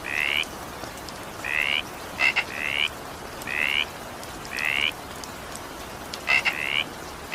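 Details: During evening rain a frog gives brief rising paired notes, repeated at intervals of about a second, with sharp clicks before some calls and gentle rain noise throughout.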